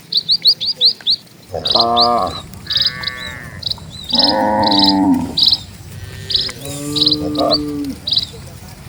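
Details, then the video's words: Dozens of cattle are moving slowly over a quiet village road, with several short, rich moos spread through the stretch, bright repeated bird chirps in the background and a faint low rumble. "SUARA SAPI"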